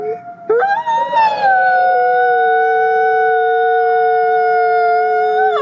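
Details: Nikai, a captive-born gray wolf at the Wolf Conservation Center in South Salem, New York, gives a long steady howl after a short rising start, holding one smooth tone for about four seconds with rich harmonics.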